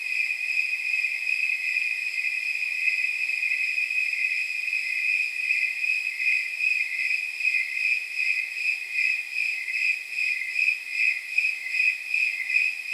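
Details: Snowy tree crickets chirping through a night estimated at about 79 degrees: a continuous, regular train of shrill, bell-like pulses, slightly out of step in places as several insects overlap. The background is quiet.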